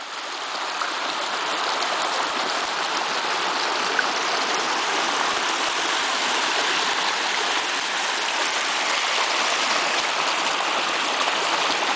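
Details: Steady rushing water of a stream or waterfall fills the whole recording, with no animal sound.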